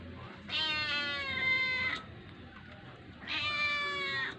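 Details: Kitten coaxing for food: two long, clear, drawn-out meows, each lasting over a second with a rich harmonic tone. A short quiet gap separates them, over a low background hum.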